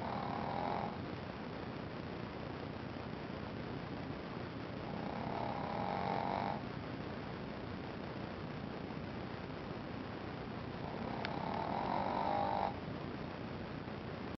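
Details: Asleep and snoring, the Shih Tzu puppy Ponzu produces three long buzzy snores about five seconds apart, each a rough, humming drone near a second and a half long; a brief click sounds during the last one.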